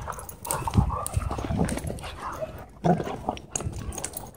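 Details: Two dogs testing their battle skills in play at a dog park: rough throaty growls in uneven bursts, a couple of louder snarling peaks, with scuffling noise between them.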